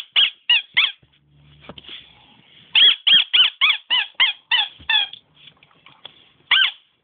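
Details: Squeaking in place of barks from Nemo, a pet dog: three quick high squeaks, a pause, then a rapid string of about ten thin, wavering, whistle-like squeaks, followed by one last squeak after a short silence.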